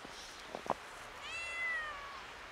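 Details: Kitten, a little scared, seeing snow for the first time outdoors, gives one thin high meow that starts high and slides steadily downward over about a second, after a few soft clicks and crunching sounds.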